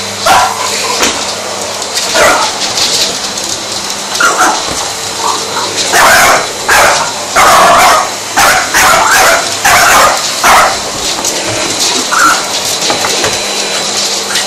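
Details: A French Bulldog called Indy confronts a vacuum cleaner, letting out a rapid run of loud yapping barks, clustered in quick bursts with brief pauses, above the vacuum's steady mechanical roar.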